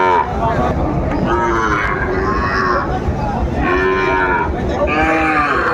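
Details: Sahiwal bull calves at Ambari livestock market, Dinajpur, Bangladesh, 27 May 2024; three long, wavering moos, each about a second long, stand out over a dense murmur of market chatter.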